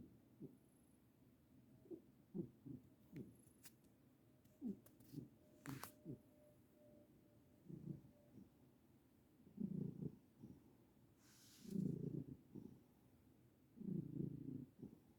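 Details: A senior domestic cat sleeping through happy dreams: soft scattered low purring snores and clicks at first, building to three louder rumbling bursts near the end, with a few faint rustles.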